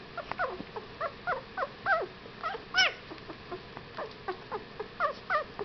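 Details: Whippet puppies, 15 days old, whimpering and squealing in a series of short rising-falling high yips, about one per second, several overlapping, with a brief louder squeal near the middle.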